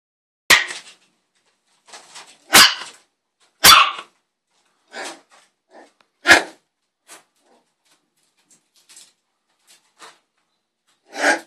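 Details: Six-week-old male West Highland White Terrier puppy barking indoors: sharp, high-pitched yaps in an uneven series, some loud and some faint, with quiet gaps of one to two seconds between them.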